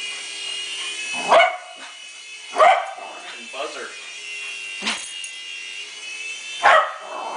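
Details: Betty the dog, tired after a long Christmas play session with a V388 Hornet remote-control helicopter, barks loudly four times, roughly every one to two seconds. The buzzing helicopter whine runs throughout, and a person speaks briefly.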